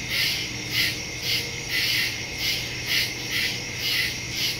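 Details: Nighttime cricket chorus from the woods, September 2, 2023, Samsung Galaxy S22 Ultra phone and Shure MV88+ stereo mic; bright, high shrill chirping throbs in repeated swells a little under twice per second.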